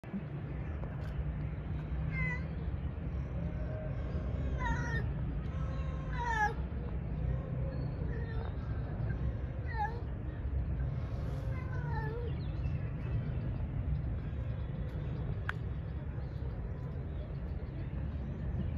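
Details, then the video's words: Male cat calling for females to mate, with females responding; a series of drawn-out, wavering meows and short yowls over a steady low rumble of background noise, with calls clustered in the first half. "He is calling females for mating , female start flirting for him, but he ignores"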